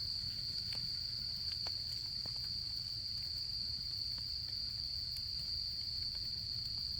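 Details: Autumn insects at a campsite, their voices merging into one steady, high, unbroken ringing trill held throughout, while a campfire crackles and pops now and then beneath, over a low rumbling background.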